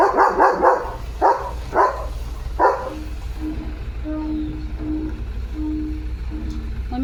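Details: Leo, a German Shepherd, barks at a tractor moving past in front of his home: a quick run of loud, sharp barks in the first seconds, then a steady low engine hum with faint voices.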